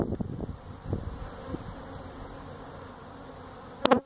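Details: Feral honey bee hive inside a tractor tire, citrus orchard, Mission, Texas, during hive removal: a soft, continuous low buzz follows a few opening knocks, ending with a sharp clatter.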